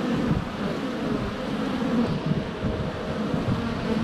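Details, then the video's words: Dense humming of many honey bees flying around the entrance of their hive on a sunny day in February, GoPro Hero 7 Black held less than a foot away; continuous low drone with flickering pitch, plus wind-like hiss. "4K Honey Bees - ambient video and audio"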